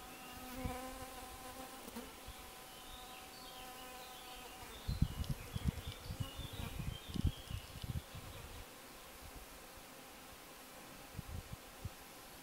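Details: Hoverflies in a buzzing display, recorded while camping wild in the Schwäbische Alb: a steady droning hum with layered harmonic tones, low bumps and thumps midway, and small birds chirping faintly in the background.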